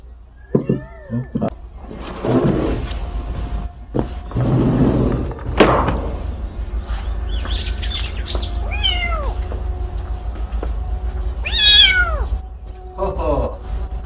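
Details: An orphaned kitten that lost its mother, recorded outdoors. Rustling and handling noises come first, then short, descending mewing cries. One higher, arched meow follows near the end, with a steady low hum underneath.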